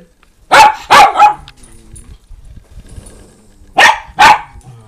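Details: Indoor barking from rescue house dogs, Min Pins and a Doberman named Roxy: a pair of quick sharp barks, a quiet gap with faint background murmur, then two more snappy barks close together.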